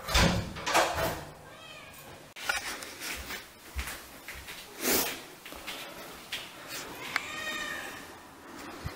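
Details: Siamese cats home alone, howling as they miss their absent owner: wailing harmonic cries near the start and a longer wavering one near the end, mixed with clattering, thumps and household noise indoors.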